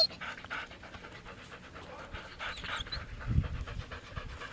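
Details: Samoyed dogs resting on a warm 44F day in Minnesota during a 14-mile carting run, breathy rhythmic panting over a low rumbling background, with a short thump just past three seconds.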